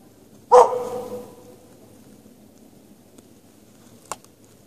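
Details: One bark from a dog chained out in the snow with no shelter at night in March, followed by quiet low hum and a faint click.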